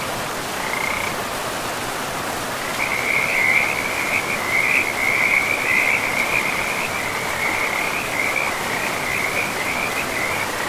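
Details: Frogs by a river in a pristine forest, one giving a long, rapid, pulsing trill at a steady high pitch. The trill starts with a short burst, then runs for about eight seconds over constant rushing water.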